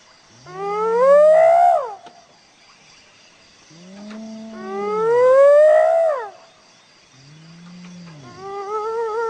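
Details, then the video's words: Hyena calling in a repeated sequence: each call opens with a low arching hum, then climbs into a loud rising whoop that breaks off. Three calls in about nine seconds, with a faint steady hiss behind them. "Hyena Sound صوت الضبع"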